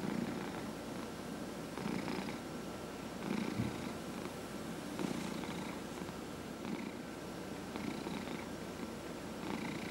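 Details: Domestic cats purring while being massaged indoors, one of four cats in the household: a steady low rumbling purr swelling in rhythmic breath cycles about every 1.6 seconds, with soft breathy hiss on each cycle.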